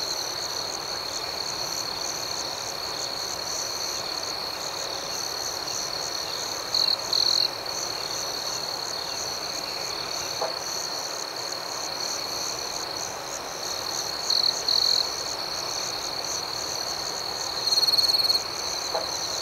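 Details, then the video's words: Night-time cricket chorus with a continuous shrill trill and rapid rhythmic chirps layered over it, plus a few short louder bursts that recur every seven or eight seconds. "Soothing Cricket Sounds"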